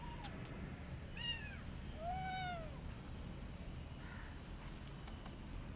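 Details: Rescued street kitten that wants to return to the streets and refuses food, giving two clear meows, the first short and high, the second longer and arching downward, over a steady low background hum.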